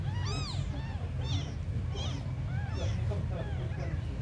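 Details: Small abandoned kittens giving short, high-pitched mews, sharply arched and spaced roughly every half second, one louder cry at the very start, all above a low droning background noise.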